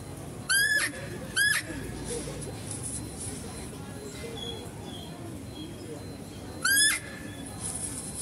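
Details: Female deer at a zoo, calling while a male deer is being fed: three short, high-pitched squeals with a sharp upward sweep, two close together early and one near the end, over a steady low background hum.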